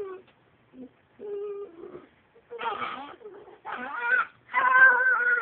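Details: A "talking" dachshund produces short moaning whines at first, then louder, strained, warbling yowls that climb and bend in pitch. They arrive in three choppy bursts separated by brief silences.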